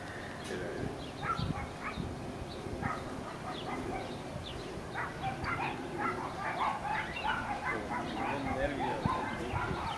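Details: Sealyham terrier Ben Low, a retired multiple best-in-show dog, chasing the kennel cat inside the kennel for fun; rapid, irregular bursts of sharp barks and yips, about a hundred a minute, over people talking.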